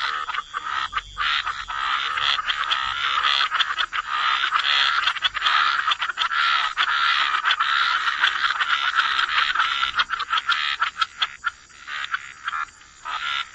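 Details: Chorus of frogs at a wetland edge, croaks massed into an almost continuous rasping wall for most of the stretch, breaking near the end into choppy, irregular bursts over a constant high-pitched hum.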